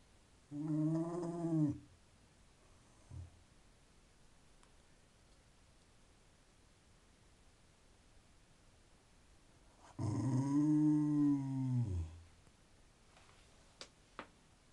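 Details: Pet terrier Conker, wanting attention and urging action, gives two long moaning, growl-like vocalizations, the first under two seconds, the second about two seconds, separated by quiet, with faint clicks near the end indoors.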